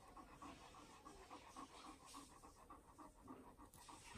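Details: Jack Russell Terrier named Paris, a pet dog sharing a home with dogs Pars Reis and Deyzi, pants quickly and rhythmically at about three to four breaths per second, steady throughout, over faint room noise.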